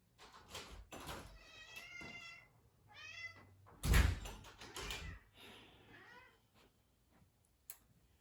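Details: A female domestic cat gives several drawn-out, wavering meows at the door, wanting to be let inside, with a door thudding midway; she is let in but, per her owner, is never happy in or out.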